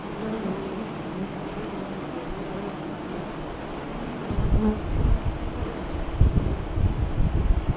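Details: Honey bees at the west-facing entrance of a hive 5 miles east of Lyons, Nebraska, during the 2017 solar eclipse, 2:48–3:00 CDT; a low, steady hum with passing buzzy drones, and low rumbling bursts in the second half.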